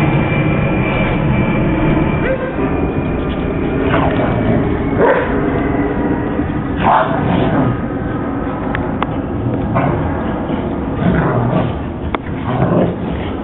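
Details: Two pet German Shepherds playing in the year's first snowfall: short broadband barks burst out every one to three seconds over steady low rumbling noise, with a person's voice mixed in.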